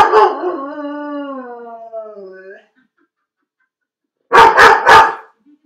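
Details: Felix, a dog left alone in his dog crate, lets out a long, wavering howl that slowly falls in pitch, then after a short silence gives three rapid, sharp barks.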